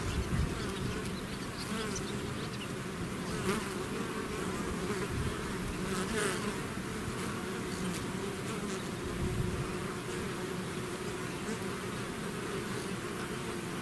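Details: Long stretch of a bee swarm pouring out of its hive: thick, unbroken buzzing hum with fluttering wing-beat texture and scattered soft crackles and clicks, the drone staying at an even level throughout.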